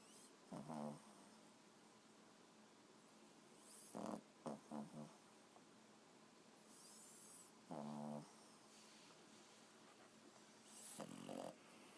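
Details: Four-month-old Boston Terrier puppy snoring quietly while asleep indoors: soft raspy, buzzy snores in short bursts roughly every three to four seconds, some doubled, with a faint hiss between breaths.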